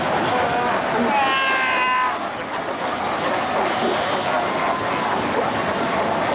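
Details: Cape fur seals at Cape Cross Seal Reserve, Skeleton Coast, Namibia, 1992, during fighting and pup rearing; one loud, quavering bleat lasting about a second stands out, then a busy chorus of fainter bleats over a steady rumble.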